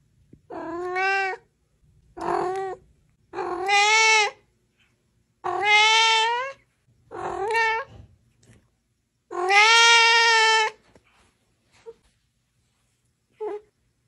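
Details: Cat giving a series of six long, harmonic-rich meows of about a second each, some rising then falling, spaced with short pauses, followed by two brief faint chirps in a quiet room.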